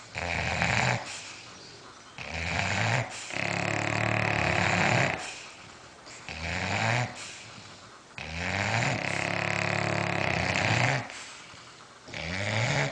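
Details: Bulldogs asleep, snoring loudly: raspy, buzzing inhalations lasting one to three seconds, separated by quieter wheezing exhales, repeating in an uneven rhythm.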